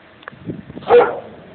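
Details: Domestic dog in a yard barking at a person, a single abrupt, harsh bark after some soft low shuffling sounds.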